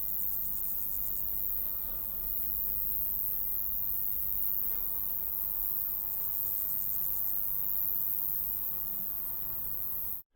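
A grasshopper gives two short, high, rasping pulse trains over a steady low rumble of wind.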